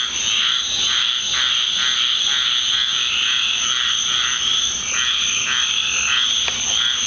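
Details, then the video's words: Backyard frogs of the Deep South in full nightly chorus after a rainstorm, a piercing steady trill band with repeated pulsed croaks roughly twice per second and a brief sharp click near the end. "Orchestra of Frogs with Ducks"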